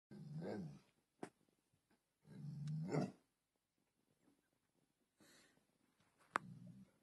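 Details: A Bullmastiff going wild and attacking: three deep, rough growling bursts, each under a second long and separated by silences, with a few sharp clicks and thumps between them.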